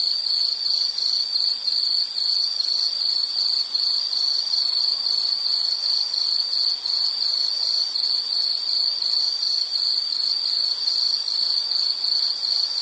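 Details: Insect chirping in a nature recording: a steady high-pitched pulsed trill, with short chirps repeating about two or three times a second, continuous for the whole stretch, over faint soft background hiss.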